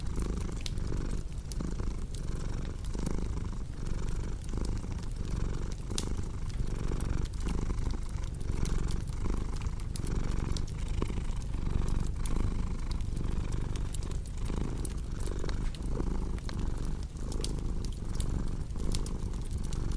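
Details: Long stretch of contented cat purring, a soft rumbling hum repeating in breath pulses, mixed with the constant popping and crackling of a fireplace.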